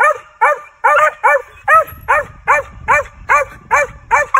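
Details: Young male Original Mountain Cur squirrel dog during training, barking steadily in a fast, even series of about ten sharp, ringing barks, roughly two each second.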